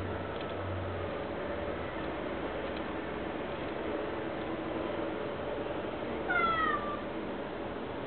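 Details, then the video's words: Farley, a male Chocolate Ocicat kept as a pet, begging for a tummy rub: a single short, falling meow with clear harmonics near the end, over a steady low indoor hum. "Ocicat wants a tummy rub"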